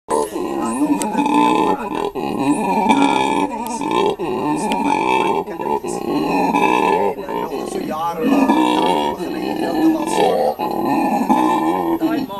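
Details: Male howler monkey at Monkeyland sanctuary in South Africa, calling with his mate and three young beside him. Deep, hoarse roars, sustained and throaty, run almost without break across the whole stretch, with brief dips between bursts.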